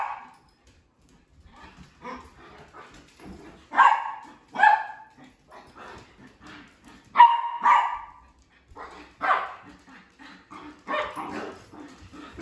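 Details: Three pet dogs at play, the female sheprador among them: scattered loud barks, some doubled, mixed with low grumbles and snuffles, while people talk quietly in the background.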